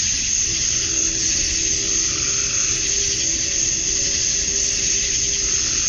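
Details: Georgia, USA summer dusk, male cicadas chirping for females: an unbroken shrill high-pitched whine with broad hiss, and a quiet low steady hum running beneath most of the clip.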